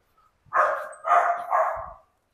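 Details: Pet dog barking three times in quick succession, each bark loud and harsh with a slight falling tail, then silence.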